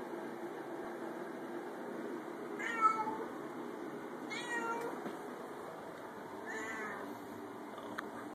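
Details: Domestic cat closed in a bathroom before a bath, meowing three times at intervals of roughly two seconds, each cry short and strained, against constant low hiss.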